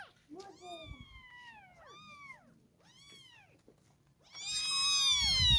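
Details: Several thin, high kitten meows follow one another, bending down at their ends, before a much louder, fuller meow closes the sequence.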